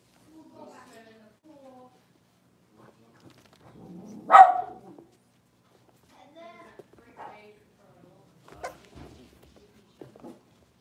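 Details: Six-week-old blenheim Cavalier King Charles Spaniel puppies, a litter of five kept indoors in a home puppy pen; one sharp, loud bark rings out midway, framed by faint, scattered soft vocal sounds and quiet speech.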